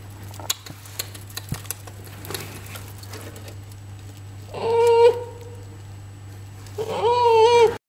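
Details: Twelve-week-old polar bear cub at Ranua Zoo, Finland, gives two tonal whining calls, the first short and steady, the second longer and wavering, each with strong overtones, over a steady low hum with scattered clicks and clatter.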